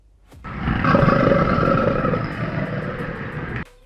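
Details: American crocodile giving a single rough, broadband roar lasting about three seconds, loud and steady throughout with a harsh, rasping texture and faint tonal bands, starting and stopping abruptly.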